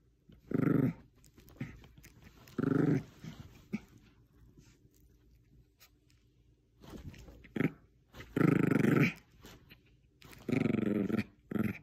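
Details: Bichon Frise in a tug-of-war game with a small stuffed squirrel toy, growling in five gruff, throaty bursts spread across the clip, separated by quieter scuffling and toy noises indoors.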